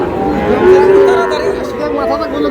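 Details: Sahiwal bull calf at a crowded cattle market, lowing once with a drawn-out, level moo lasting about half a second, while people talk in the background.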